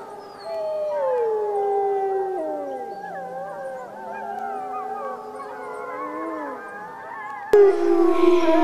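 Several wolves howl together in long, smooth, wavering tones that slide up and down and overlap.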